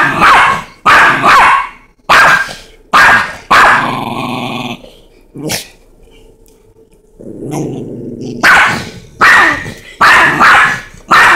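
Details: With a Chihuahua and a Rottweiler facing off, quick sharp barks come in a volley, then give way to a low, rumbling growl, followed by a quiet gap before renewed bursts of barking.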